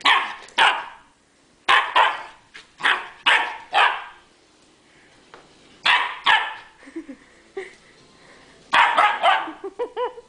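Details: Chinook the dog barks while jumping about in play, giving sharp single and paired barks in quick runs, a pause, then more barks with some higher whining yelps near the end.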